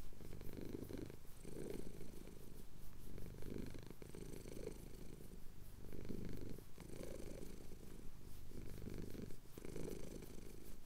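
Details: Deep, throbbing purr of a contented male cat during a chin scratch, Cotswold hills at sunrise, Tascam DR-07X; rhythmic rumbling bursts separated by brief quiet breaths.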